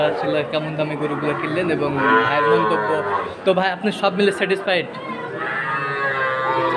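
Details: Sahiwal bull calves, a breed suited to farms, among buyers in Jessore, Bangladesh, March 2023. Two long, layered lowing calls stand out between bursts of close talk and clatter, over constant background crowd noise.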